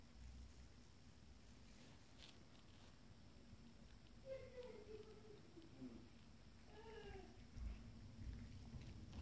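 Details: Kittens from a first litter, twenty days old, calling for their mother with a few faint, high, down-sliding meows in the middle and toward the end, over a steady low hum.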